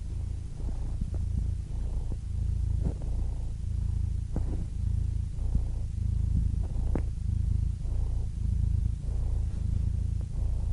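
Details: Cat purr as a calming sleep sound: a deep, steady low rumble with gentle periodic swells and a few faint clicks scattered through.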